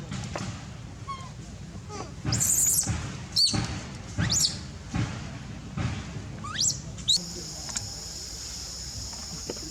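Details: Baby monkey crying for milk while its mother is away: thin, high-pitched cries that sweep sharply upward, given in irregular bursts a second or so apart, over a steady shrill insect drone and low rustling.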